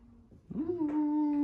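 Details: Pet husky indoors, reacting to a scary movie costume prank; a short rising whine that levels into a long, steady, clear tone with bright overtones, held to the end.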